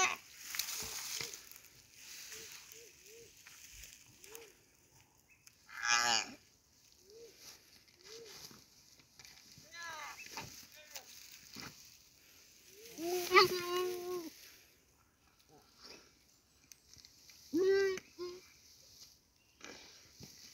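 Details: A goat being eaten alive by a Komodo dragon: strained, wavering bleats, the longest and loudest near the middle, with shorter cries before and after and scattered soft clicks and rustles between.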